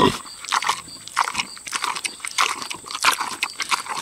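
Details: Six-year-old boar pig eating juicy tomatoes, smacking and chewing in quick wet bursts roughly every half second, with crisp clicks and brief crunches; a faint steady high hiss runs underneath.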